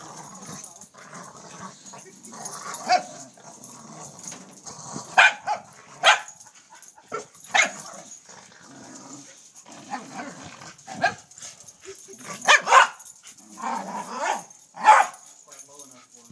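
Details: A corgi playing at tetherball gives short, sharp barks and excited yips at irregular intervals.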